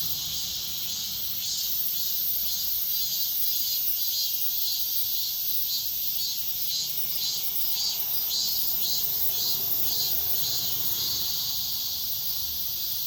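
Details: Dawn cicada chorus: a continuous high metallic hiss pulsing in regular waves roughly twice per second, steady in loudness throughout, with little else audible.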